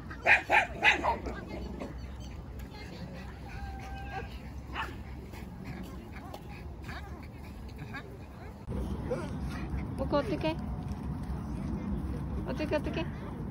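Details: Boston Terrier Mocca whines and yips at the playground on seeing her favourite ball, pleading for it to be kicked; three loud rapid yelps open, then fainter whimpers and later a burst of yapping, while a woman speaks.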